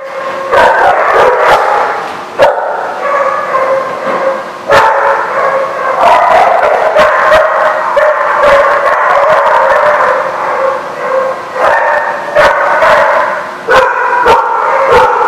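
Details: Many dogs bark at once at The Barking Lot, recorded 10/3/16: a dense, continuous wall of overlapping barks and yips, with sharp louder barks breaking through around 0.5, 2.5, 4.7 and 12–15 seconds.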